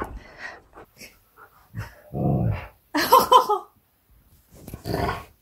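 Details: Siberian Husky K'eyush on his birthday, reacting to a surprise visit from his best friend: a short low groaning vocalization followed by a brief, sharper whine indoors, with faint human voice nearby.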